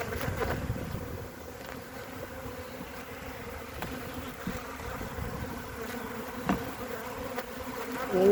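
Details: Honey bees on three frames in mid-February 2021 give a soft, even drone with faint overtones, punctuated by occasional taps and rustles from handling.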